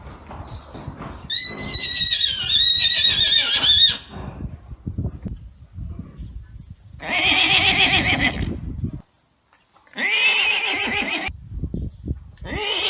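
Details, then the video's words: Arabian horse giving one long, high, trembling whinny that wavers and then drops away. Rough, breathy blasts like snorts follow, separated by pauses. "صوت صهيل الحصان"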